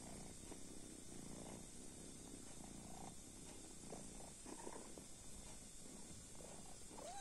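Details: Soft continuous purring from a sleeping kitten, a low throbbing rumble with faint rustles and a brief high squeak at the very end.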